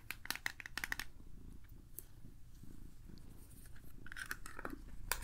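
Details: Domestic cat purring indoors while being groomed and given treats; a soft, low, steady rumble runs through the middle, framed by sharp crinkling and brushing clicks at the start and end.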